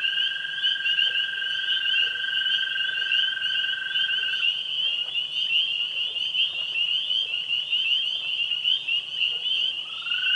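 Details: Springtime evening pond chorus of tree frogs, spring peepers and green frogs. Massed high-pitched peeping forms a continuous buzzing band; a lower sustained trill fades out midway, then a rising tone returns near the end.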